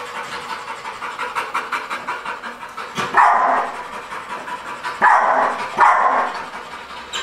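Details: Patch, a Pit Bull strongly reactive at the mere sight of other dogs, after fifteen days of desensitisation training: three loud, harsh barks at about 3, 5 and 6 seconds over steady traffic noise.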